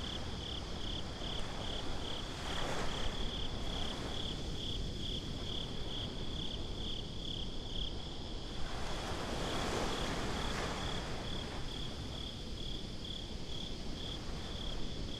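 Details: Night-time beach crickets keep up a rapid string of high, even chirps while waves wash in and swell twice, briefly lifting a broad hiss of surf and wind over the insects.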